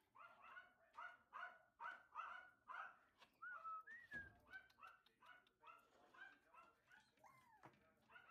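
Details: Three male Toy Fox Terrier puppies from one litter, indoors: a steady run of short, high yipping whimpers, several each second, then longer whistled whines that rise and fall, with a soft thud midway.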